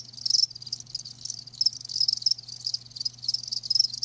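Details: Several live crickets chirp in rapid high buzzy pulses, grouped into bursts roughly every half second, loud and close, over a faint steady low hum.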